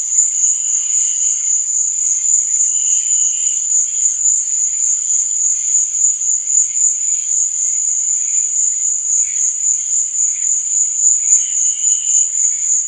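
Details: Crickets at night, giving a continuous piercing trill, with short bursts of lower chirping that return every few seconds.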